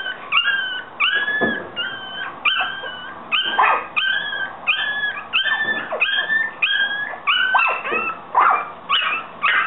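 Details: Young Yorkshire Terriers give a steady series of thin, wavering whines, about two per second, some squeals bending downward at the end, with a soft background hiss throughout.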